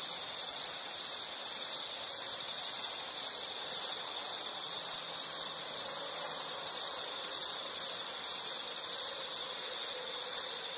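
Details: Insects chirping steadily in a nature soundscape, a high continuous trilling band pulsing in short regular bursts about twice a second, with a fainter higher shimmering layer above and no other clear sounds.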